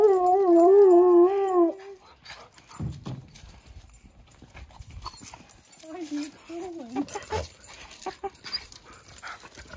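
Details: Garden-dwelling husky meeting a playful puppy, giving a loud wavering howl-like vocalization for about two seconds, then quieter warbling moans amid soft scuffles and distant voices.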